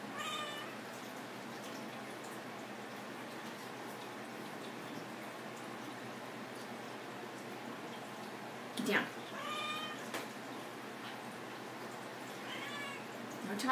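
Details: Pixie, a female pet cat on the dining table indoors, meows back at commands to get down; three drawn-out, tonal meows, one at the start, one near the middle and one at the end, between a person's scolding and a sharp clatter.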